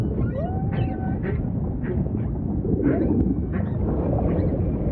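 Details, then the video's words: Humpback whale song amid ocean ambience: a short upward-curving whistled tone, then a series of soft pulsed grunts spaced roughly every half second above a continuous low watery rumble. "Majestic Whale Song · beautiful humpback & ocean ambience"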